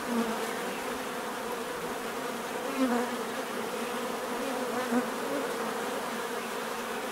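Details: Bees buzzing naturally, a steady swarm hum with several close individual buzzes rising briefly above the drone every two seconds or so.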